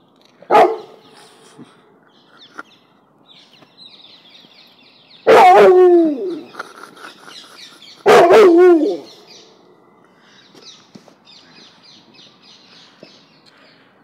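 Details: Balloon-phobic Cane Corso mix barking: a short bark, then two long, wavering barks about three seconds apart that drop in pitch, with light rustling between.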